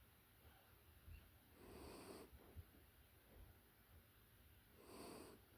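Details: A puppy sound asleep gives two soft, airy snores about three seconds apart. Each is a gentle whooshing breath with a slight low rattle, over a quiet hiss.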